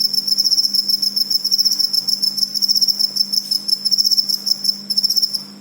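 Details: Cricket calling: fast, high, shrill pulsed chirps in steady bursts running through the whole recording, with a faint low hum underneath.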